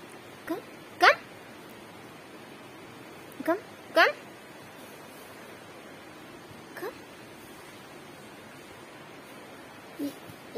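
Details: Chihuahua looking guilty after eating tissues, giving short, steeply rising whines near one and four seconds, each sweeping upward with bright overtones, with fainter single whimpers around three and a half, seven and ten seconds in a quiet small room.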